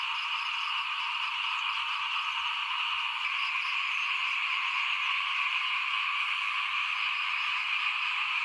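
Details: In front of a house at rice-sowing time in 2021, a mass of small frogs keeps up a continuous high, buzzing chorus, layered and even, with no pause across the whole stretch.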